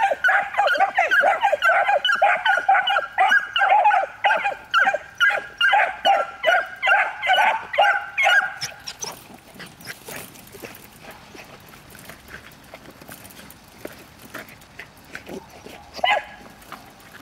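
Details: Miniature Wire-haired Dachshunds, three one-year-olds in pre-hunting training being stimulated to bark and keep barking: rapid, evenly repeated sharp barks for about nine seconds, then fading to quiet rustling with one lone bark near the end.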